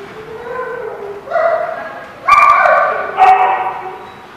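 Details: Dogs barking at a kennel or dog lot, harmonic barks and yips in several bursts, some overlapping, with a noisy background.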